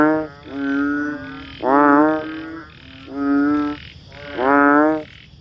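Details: Banded bullfrog, also called Asian painted frog or chubby frog, giving four loud, low, nasal, harmonic-rich croaks, each about half a second long and rising slightly at the start, with quieter drawn-out tones between them.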